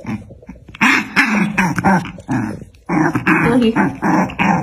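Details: A black dog and a white dog in a fight, recorded indoors: dense, continuous snarling and growling with harsh raspy bursts and yelping edges, nearly without pause, with a faint human voice underneath.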